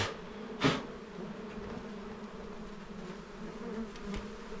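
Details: Small-hive honey bees humming steadily during honey hunting, a low sustained buzz interrupted by one loud sharp knock near the start and a fainter tap toward the end.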